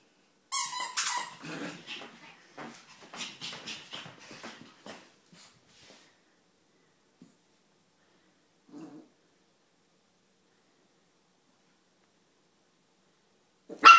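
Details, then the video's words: Bichon Frise puppy, 13 weeks old, indoors: high, squeaky yelps with a ringing tone open the recording, followed by a run of shorter, softer yips and snuffly sounds over the next few seconds, then near silence before one brief loud burst at the end. "Bichon Frise puppy"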